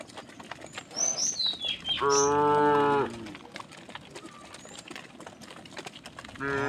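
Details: A single steady moo of about one second from tame cows being herded across a wooden bridge to the fields, preceded by high bird chirps and ending as another moo begins.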